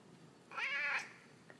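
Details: Pet cat indoors, a male that likes to "talk" to his owners, meowing in reply to a question: one drawn-out harmonic meow of about half a second, rising then falling slightly, in a quiet room.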